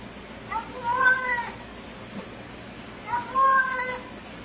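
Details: Talking domestic cat giving two separate meows about two and a half seconds apart, each tonal and wavering, rising then sliding down, with quiet indoor background between them.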